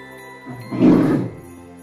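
A polar bear gives one short, deep, rough roar lasting about half a second, over soft, steady background music.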